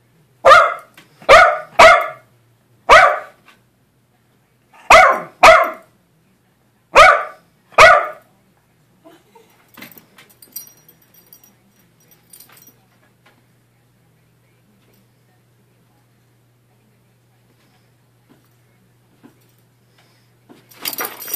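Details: Bo, a small Jackshund, barking at a dancing, twisting toy: eight sharp barks, mostly in quick pairs, over the first eight seconds, then faint rustling and near quiet.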